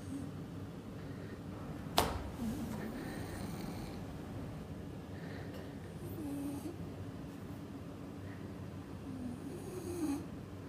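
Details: Sleeping pet bulldog snoring in his bed while it is pushed and bounced; soft, low rasping breaths swell roughly every four seconds, with one sharp knock early on against a quiet indoor background.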